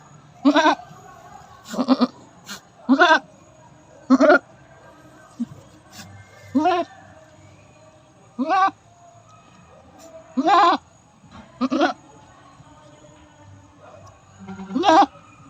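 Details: Domestic goat during its fifth birthing: a long series of short, quavering bleats, about ten in fifteen seconds at irregular intervals, some louder and some softer, over a faint low hum.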